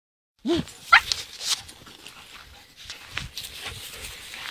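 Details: Lively, playful standard poodle out walking: a short rising yelp-like bark, then a second brief bark, followed by rustling and soft footsteps.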